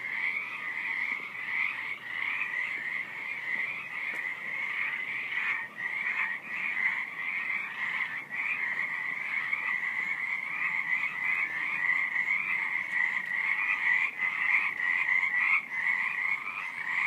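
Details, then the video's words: Skittish frogs calling at night, recorded quietly from close by: a dense, unbroken chorus of rapid, pulsing trills at a steady pitch, with no other sounds standing out. "Frogs at night"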